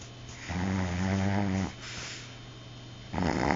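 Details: A Chihuahua snoring: a steady, low, buzzy rasp held for about a second, a quieter pause, then the next breath starting at the end, recorded indoors in a quiet room.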